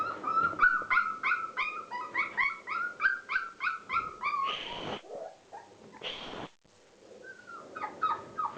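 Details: Playing Border Collie pups at 36 days: rapid rhythmic whining yelps, roughly three per second, pitched high with bright overtones, then two harsh hissing bursts of noise before the whimpering resumes more sparsely.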